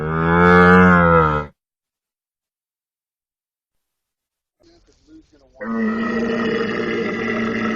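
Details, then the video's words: Camel giving a deep, harmonic moaning groan for about a second and a half, then silence, followed by a few soft grunts and a second rough, sustained bellow that runs to the end. "CAMEL SOUND EFFECT 낙타 울음소리"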